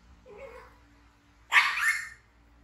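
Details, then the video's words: An infant monkey taken in by villagers from the jungle, screaming in fright: a faint, low whine followed by a loud, rough, high scream of about half a second that tails off. "Baby Monkey BEAN Frighten Screaming"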